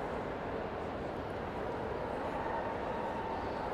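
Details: A steady, dense broadband rumble like crowd or machinery noise in a large hall continues throughout, with no animal sounds.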